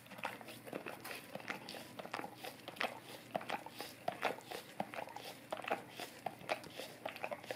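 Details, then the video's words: Golden retriever licking an Orapup tongue cleaning brush indoors to freshen breath: wet, smacking tongue clicks in quick irregular bursts, roughly eighty per minute, close and intimate in a small quiet room. "Golden Retriever Licking Orapup Tongue Cleaning Brush"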